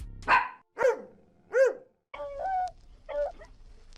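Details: Domestic dog barking three times in quick succession, each bark a short harmonic burst, followed by a spoken word naming the animal and a brief quieter voice sound at the end.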